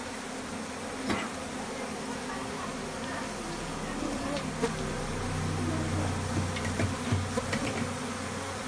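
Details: Low steady drone of honey bees in a Nepal bathroom where honey is being taken, the humming swelling in the second half with scattered clicks and knocks over it.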